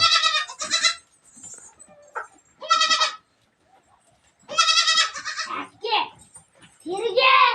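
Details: Domestic goat kids let loose in the morning at Sangli, calling with wavering, nasal bleats in three main bursts, mixed with people talking nearby.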